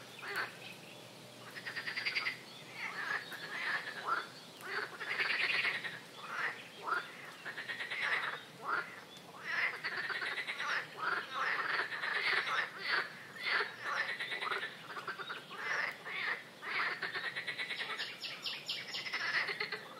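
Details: Swamp frogs croaking in quick, harsh, pulsed notes that overlap into a busy chorus, growing denser toward the end. A short high-pitched ticking enters near the close.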